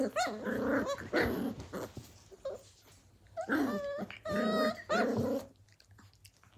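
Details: Blue heeler puppies playing together at Tin Roof ACDs, 2020: Australian Cattle Dog growls with a nasal, whining edge, several drawn-out bouts rising and falling in pitch, separated by short quiet gaps.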